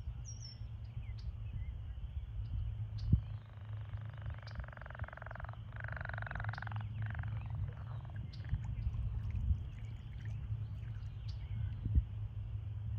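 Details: American toads in a breeding pool at the height of breeding season, calling while pairs engage in amplexus; one long, even, musical trill holds steady for about three seconds over a constant low rumbling background with scattered faint ticks.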